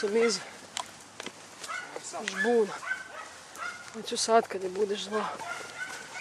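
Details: German Hunting Terrier Dunja confronting a wild boar: a handful of short, arched, harmonic barks and yelps at irregular intervals, mixed with human voices and outdoor rustling.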